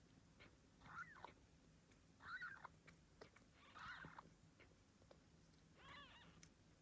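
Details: Newborn Ragdoll kittens just born to Gambit, a blue bicolour Ragdoll mother at a breeding home in Australia; four short arched mews, a second or more apart, over a quiet background hiss.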